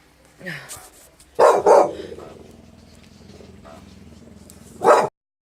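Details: Brian the Staffy, a Staffordshire Bull Terrier, barks at a strange noise: a rapid double bark, a stretch of low background hum, then one more loud bark, with a faint Spanish voice near the start.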